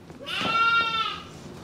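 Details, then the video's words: Angora goat being loaded up on shearing day gives one strong, steady, nasal bleat lasting under a second, rich in harmonics and slightly falling at the end. "Shearing Day for the Angora Goats"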